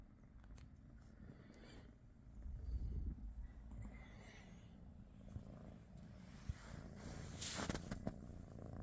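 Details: Purring British Shorthair cat, one of Pikachu, Teddy and their niece Rosie, on a quiet morning; a deep pulsing rumble swells louder after two seconds, with a short hiss of movement near the end.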